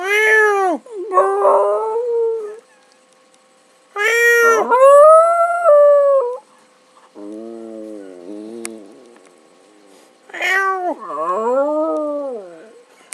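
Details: Pet dog howling while a person meows beside it: long wavering, arching howls of a few seconds each, broken by shorter rising-and-falling cries and brief quiet gaps, indoors.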